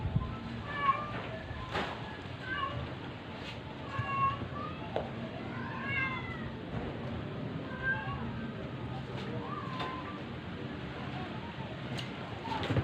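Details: Dying stray cat struggling while force-fed to keep it alive, giving a series of thin, wavering meows, some rising then falling, spaced a second or two apart, against constant low background rumble and occasional clicks.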